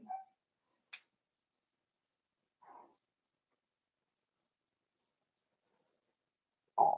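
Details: Four-week-old Cavalier King Charles spaniel puppies in an indoor puppy pen: a short tonal whine opens, then a brief high squeak near one second, a faint whimper a little later, and a louder burst right at the end.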